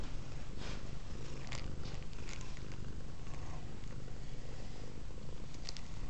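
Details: Velvet the cat, a she-cat fascinated by a cord dangling from the camera, purrs loudly at close range; a dense unbroken low rumble with light rustling and brief bright clicks on top.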